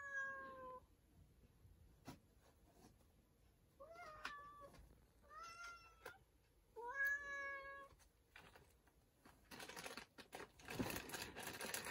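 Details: A storeroom cat makes a brief meow, then a run of three bending, rising-falling meows. Loud rustling and scraping noises follow at the end.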